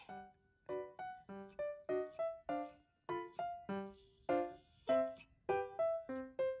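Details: Electric piano chords strike in short, even bursts of a bouncy tune, about two per second, in a quiet room with nothing else audible.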